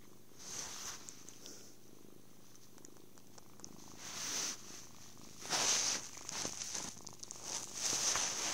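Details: Soft low purring from a happy kitten during cuddles, food and sleep, partly masked by loud rustling and brushing bursts that come and go every second or two, close to the device.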